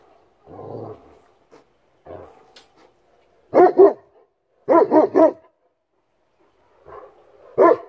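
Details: Central Asian Shepherd Dog, also called Alabai; deep, heavy barks given singly and in quick groups of two or three, with softer low huffs and pauses of quiet between.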